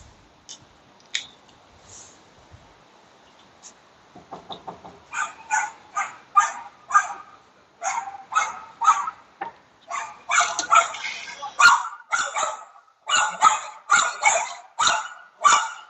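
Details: Dog barking, shown in a lesson on the barking problem and how to solve it: faint sounds at first, then a long run of sharp, rapid barks that grow louder and denser toward the end.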